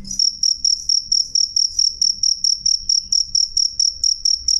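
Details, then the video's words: Loud, clear cricket (jangkrik) song of sharp, narrow, high ringing pulses in quick, regular succession, about four per second, over a quiet low murmur. "suara jangkrik jernih keras"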